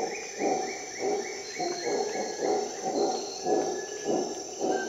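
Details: Howler monkey at dawn in a Costa Rica rainforest: rhythmic, throaty pulses repeat about twice a second over a steady high insect drone, with thin descending bird whistles above.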